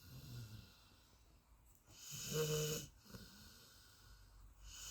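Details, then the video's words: Deep-sleeping Golden Retriever lets out a single buzzy, humming snore lasting about half a second mid-clip, framed by softer, airy breathing on either side in a quiet indoor setting. "My Golden Retriever deep sleep snoring"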